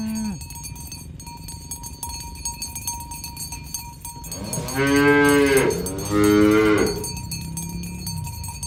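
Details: Tame cows herded along village roads toward the pen in the morning: after a stretch of cowbell tinkling and low rumble, two loud, drawn-out harmonic moos follow in quick succession, each about a second long.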